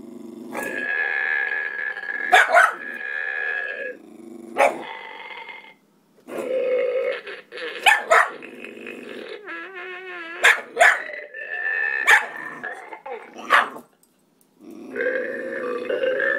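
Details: Ruddiger, a pet pug, Staffordshire terrier, Maltese and kelpie cross, reacting to a farting dog toy he is unsure about: long rough growling stretches broken by short sharp barks, with tonal toy noises between bouts and brief silent gaps.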